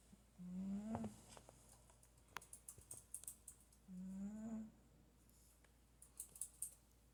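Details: Pet cat asleep and snoring indoors, two low droning snore breaths about three seconds apart, rising slightly in pitch, with soft clicking noises between them.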